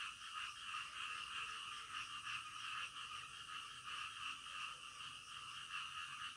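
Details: Croaking frogs at night forming a continuous throbbing chorus, rhythmic pulses repeating about three times a second over a constant buzzy background, with faint low murmurs underneath.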